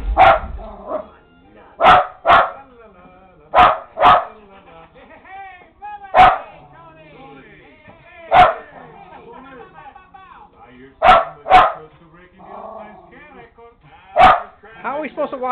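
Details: Lakeland Terrier, a pet dog indoors, barking at the TV: sharp, loud single and paired barks at irregular intervals, about nine across the stretch, with TV sound and people talking in between.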